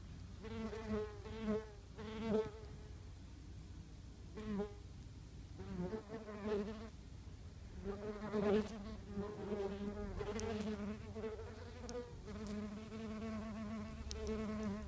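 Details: Japanese yellowjacket workers streaming busily in and out of their nest entrance, filmed up close on an iPhone: low, humming buzzes from wasps flying past, rising and fading again and again, sometimes overlapping.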